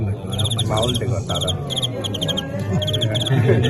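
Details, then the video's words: Crickets in an arranged fight, part of folk custom: rapid bursts of bright pulsed chirps, several trains in a few seconds, set against steady men's chatter and background hubbub. "蟋蟀 藤县KO清远"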